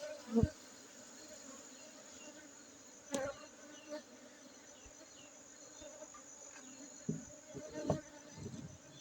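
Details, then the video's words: Honey bees in Aceh giving a faint, steady low hum beneath background hiss, broken by a few knocks and brief louder passes. "lebah madu aceh"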